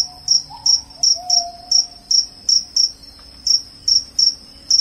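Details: Loud, shrill cricket chirps, said to repel rats and make listeners drowsy, each a short high tonal pulse repeated roughly every half second, over a faint low hum and a brief soft whistle.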